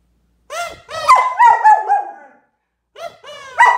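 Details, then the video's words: Excited German Shepherd dog reacting to a kids' kazoo toy. It makes a run of connected, wavering harmonic yelps and whines lasting about two seconds. After a brief silence it gives a second, rising burst. "Why do German Shepherds Whine"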